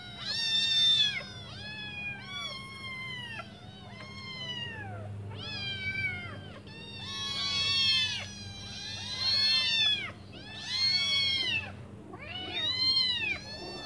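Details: A litter of five hungry kittens meows for their mother to come back and feed them; loud, overlapping, arched high-pitched cries come in repeated bursts roughly every two seconds throughout.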